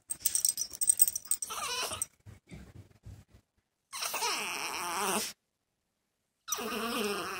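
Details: Male dog kept indoors, separated from a female in the second week of her heat who is in another room. Rattling noises come first, then two long, high, wavering whines rich in overtones, separated by silence.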